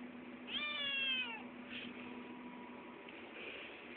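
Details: Eight-week-old male Maine Coon kitten talking for food: one clear, slightly falling meow near the start, then soft faint sounds and a steady low indoor hum.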